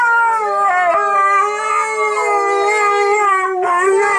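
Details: Pair of Siberian Huskies named Bentley and Skylee howling "Auld Lang Syne" alongside a singing woman; sustained, tonal howls waver gently, with a fresh upward-swooping howl starting toward the close.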